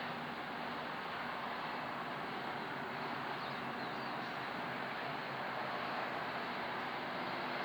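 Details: A steady broadband rushing noise, like traffic or wind, continues throughout with no distinct animal calls.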